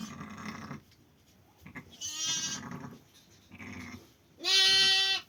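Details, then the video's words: Sheep bleating around lambing on a Kazakh farm, recorded on 5 January: several short nasal bleats with harmonic bands, ending in one loud, sustained bleat lasting nearly a second. "қой қоздады 5 январь баран"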